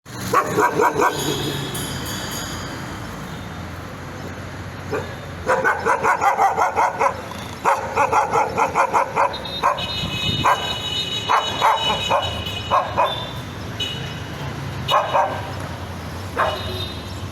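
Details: Nervous dog barking in rapid bursts of sharp, yappy barks, each with bright harmonics, running in fast irregular series with short pauses between volleys.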